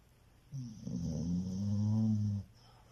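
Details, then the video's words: A pet dog snoring. One drawn-out, droning snore lasts about two seconds and carries a low, steady tone with a faint higher hiss above it. Quiet room noise is heard before and after. "SNORING DOG"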